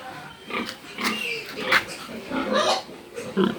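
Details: Pig uttering a run of rough, breathy grunts and snorts in quick succession, with faint human voices in the background.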